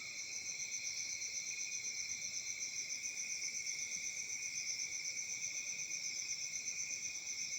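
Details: A summer night chorus of crickets in Africa, recorded in peaceful surroundings; an unbroken shrill ringing with rapid even pulses, roughly four per second, two high tones overlapping throughout.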